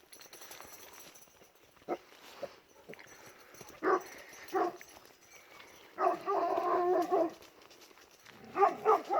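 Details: Kangal dogs at night, worked up as they chase after a wild boar, bark in hoarse bursts: a few single barks, then a long run of overlapping barks near the end, with a man talking at times.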